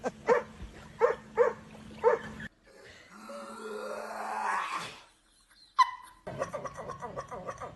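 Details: Dog making what is described as a strange sound: four short, sharp barks about half a second apart, then a rising whooshing noise, a sudden squeak and further scattered yelps and clatter.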